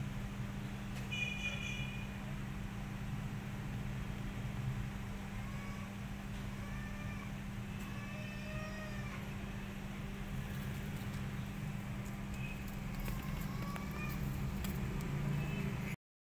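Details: Domestic kittens left alone without their mother cat, giving several thin, high, wavering meows through the middle of the recording, with a steady low hum underneath throughout.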